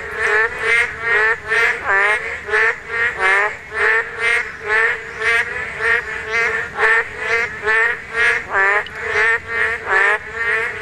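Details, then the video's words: Spawning Korean narrow-mouthed toads in full chorus, strong nasal twanging croaks pulsing about twice each second, neighbouring callers overlapping and answering one another continuously. "맹꽁이 산란!! 맹꽁이 울음소리"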